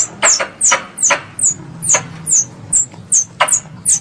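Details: Young squirrel calling for its mother: a quick series of piercing, downward-sweeping chips, each opening with a dry click, roughly two or three per second, over a quiet low background murmur.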